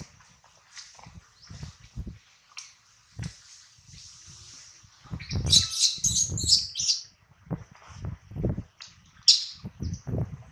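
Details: Hungry infant monkey named Adler, missing his mom and carried by a small monkey, gives piercing high-pitched screeching cries in short clustered bursts, with dull low thuds and rustling between them.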